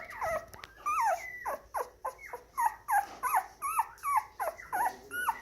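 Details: Moyen poodle puppy with a black and white parti coat, born January 2019, whimpering in a row of wavering, downward-sliding squeals roughly two per second, close and steady after a brief scuffle.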